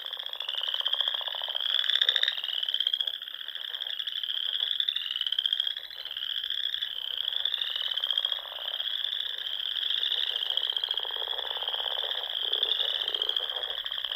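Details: Frogs singing at dusk in spring among the rolling dunes of the Sandhills, Nebraska, near small lakes and ponds; a dense, continuous high trilling chorus with overlapping rising notes and a lower pulsing layer of calls.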